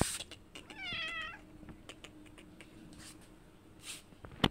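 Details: Kittens around a big cat that visits a house for food; a single short wavering meow, fairly faint, followed by light tapping and rustling noises indoors.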